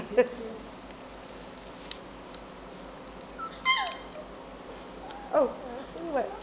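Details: Four-week-old English Mastiff puppies from the litter of Lucy and Buddha at Island West Mastiffs give a few short, faint, high whimpers and yips, spaced one to two seconds apart, over a quiet indoor background.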